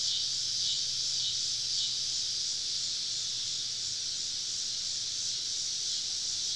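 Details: Cicadas all around a woodland campsite on a southern summer evening, a dense, steady high-pitched hiss of many insects droning together without a break, swelling only slightly, with a faint low hum underneath.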